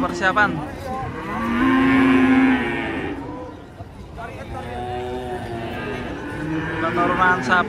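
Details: Cattle being unloaded from a truck. One long, steady, low moo holds for about a second with a clear stack of harmonics, set against engine rumble, background noise and brief voices at the start and end.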